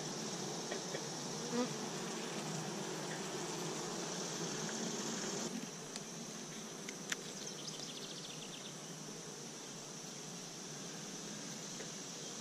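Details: Honey bees at three Apimaye beehives, one re-queened with a marked green queen, another given a fifth chamber for honey; a dense, steady low hum that is louder for the first five seconds, then drops, with a few faint clicks.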